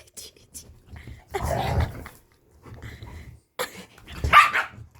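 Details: A Chihuahua and a pit bull together, a found small dog that lived with the household almost two weeks and became friends; short barks and growly noises in bursts, with a woman talking nearby.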